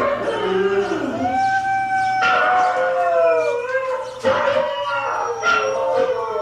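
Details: Hailey, a pet dog, sings along to husky howling videos: long, wavering, overlapping howls with rich harmonics, gliding up and down, broken by brief noisy bursts.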